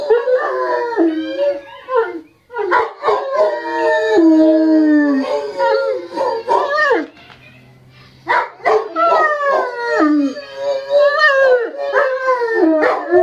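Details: English Mastiff dogs howling along to a siren, several voices singing together in long wavering howls that rise and fall, broken by a short quiet gap midway before the chorus resumes, with a person speaking afterward.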